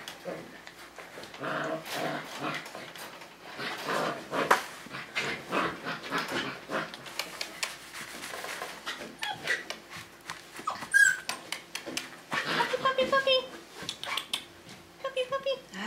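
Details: Whining from five-week-old Tamaskan Dog puppies at play in the Puppy Culture box game. Brief nasal whines and squeaks come late, over rustling and scattered quiet human voice.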